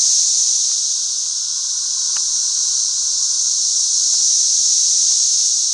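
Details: Thousands of 13-year periodical cicadas swarming and flying all over a back yard; a dense, unbroken high hiss-like drone holds steady throughout, with a few faint clicks beneath.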